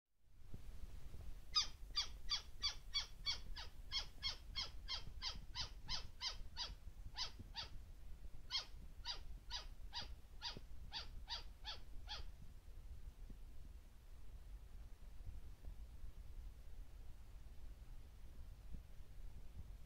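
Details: Taiwanese white-faced flying squirrel, endemic subspecies lena, recorded 2 March 2018 on the Beidawushan national trail, Taiwan: a rapid series of about twenty sharp, shrill chips, evenly spaced with a brief pause midway, then quiet forest.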